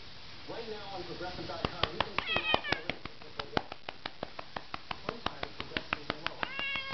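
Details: Pet cat meowing as it is patted: several falling, harmonic meows early on, then steady rhythmic slaps of the hand, with another meow at the close and a man's voice quietly coaxing.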